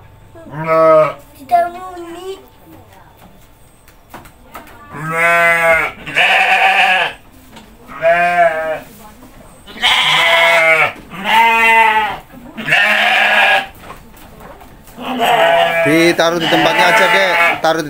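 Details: Goats at feeding time bleat repeatedly as a child hands out food, with several long, tremulous overlapping calls arriving in quick succession every second or two, some harsher and brighter than others.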